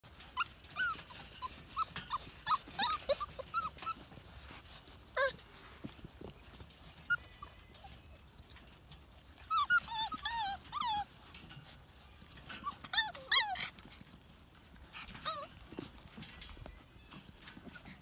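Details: Seven-week-old Siberian Husky puppies giving a run of high, wavering whimpers and squeaky yelps, several short harmonic calls bunched together with pauses between, amid faint rustling and scuffling.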